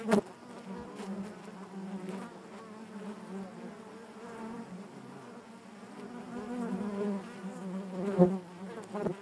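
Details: Honey bees humming inside the hive: an unbroken low, rich drone with slight pitch wobble, growing somewhat louder toward the end, with sharp clicks at the start and near the close.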